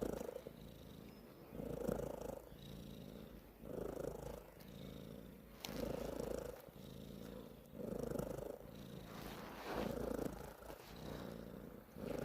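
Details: Cat purring in even cycles, each rumbling burst lasting about a second and returning roughly every two seconds, separated by brief quieter inhalations; the background is otherwise quiet.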